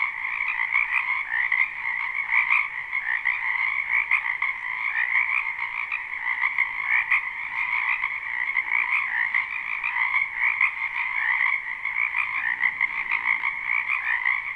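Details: Many frogs croaking in a spring wetland behind a house, recorded live without looping: a dense, unbroken chorus of overlapping rattling trills in two steady high bands, pulsing softly throughout with no gaps or other sounds.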